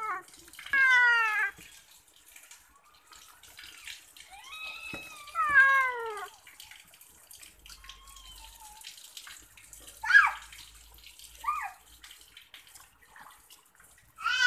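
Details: Pet cat during a bath mewing in short falling cries spaced several seconds apart, with a long wavering meow in the middle, over running tap water and splashing.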